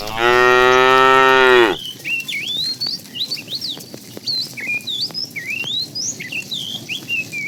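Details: Herd of tame cows roaming at morning looking for food; one loud, rich, slightly falling moo lasting under two seconds, followed by busy chirping and twittering birds.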